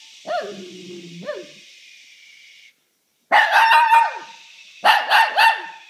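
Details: Shih Tzu responding whenever someone sneezes: two thin rising yips over background hiss, then a pause and two dense volleys of loud, rapid barks.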